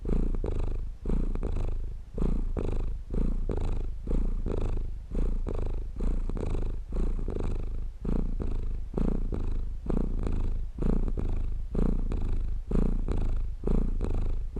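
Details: Purring cat for relaxation and sleep, deep and throaty, pulsing in regular breath cycles about once a second across the whole stretch, with short quieter gaps between each rumbling phase.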